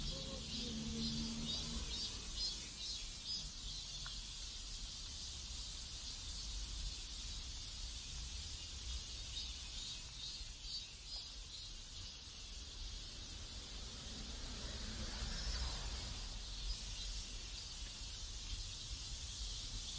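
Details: A dense, unbroken wash of cicada buzzing from a South Korean neighborhood, pulsing slightly in the high register, with low ambient rumble and a few faint brief sounds underneath.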